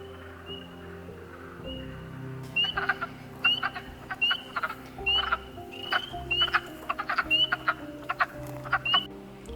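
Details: In a northeastern forest in early spring, male wood frogs chorus at an explosive breeding gathering to attract mates. Several callers overlap with brief, raspy, duck-like clucks, repeated roughly every second.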